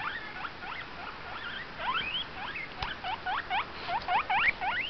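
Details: Pet guinea pig making noise, giving rapid series of short rising squeaks, roughly three per second, uneven in rhythm, each note sweeping upward, with one sharp knock near the middle.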